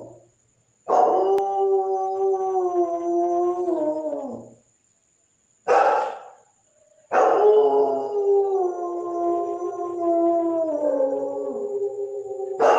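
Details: German Shepherd howling in drawn-out tonal wails, a long slightly wavering howl, a brief yelp, then another long howl that dips and rises, separated by short silences.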